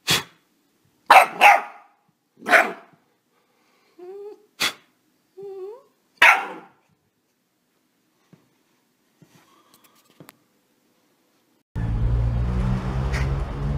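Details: Puppy giving several loud, sharp barks with short whining squeaks between them, then quiet, ending in a burst of rumbling noise.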